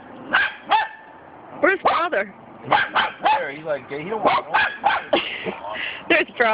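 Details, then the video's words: Cockapoos yapping at a cement dog statue, quick high barks mixed with a person talking and laughing over them. "Funny Cockapoo Dogs Barking @ Cement Dog Statue"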